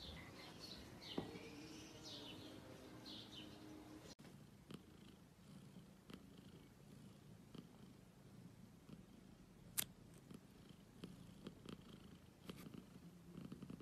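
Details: Black domestic cat, kept at home, purring as a low, steady rumble over about ten seconds, with scattered soft clicks and brief higher chirping sounds early on.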